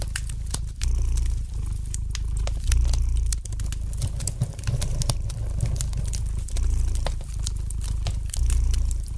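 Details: Relaxed domestic cat purring near a crackling fire; the soft rumble pulses in long inhale and exhale swells, punctuated by many crisp clicks and pops from the burning logs.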